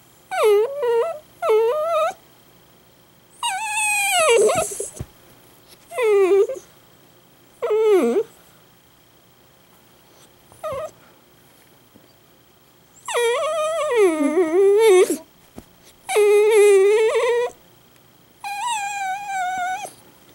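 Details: Ichi, a pet Italian greyhound, suddenly bursts into loud crying indoors: drawn-out, wavering, high whines in bursts of one to two seconds, some rising and falling, with short yelps between and quiet pauses.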